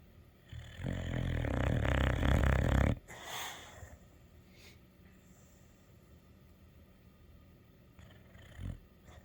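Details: Kimber, a dog, snoring: a dense low rumbling burst of rapid pulses lasting about two seconds, then near quiet with a sharp snort-like noise and faint rustles afterwards.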